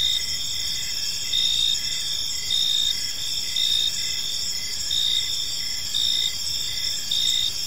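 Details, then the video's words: Evening cricket chorus in a quiet park, layered high buzzing trills running without pause, punctuated by brighter pulsed bursts about every second and a soft low rumble underneath. "Park Serenade: Cricket Sounds in a Peaceful Park"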